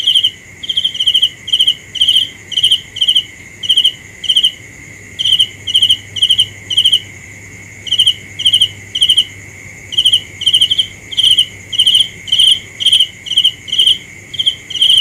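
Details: Cricket chirping at night, crisp pulsed bursts nearly twice a second with short gaps now and then, set against an unbroken insect drone.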